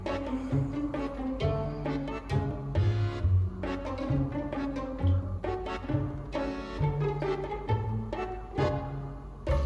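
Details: Playful pizzicato string music with plucked bass and bowed strings, with no animal sound heard.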